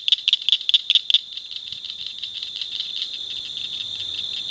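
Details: Blanchard's cricket frog (Acris crepitans blanchardi) calling along the Nueces River bottom, La Salle County, Texas, giving sharp, high clicks in a quick series, like pebbles tapped together.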